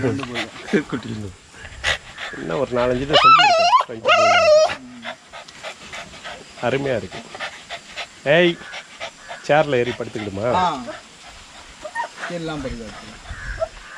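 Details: Young Rottweilers in a kennel exercise yard give high, rising whines and yips that climb steeply in pitch, mixed with lower, wavering voiced sounds and panting, in short uneven bursts.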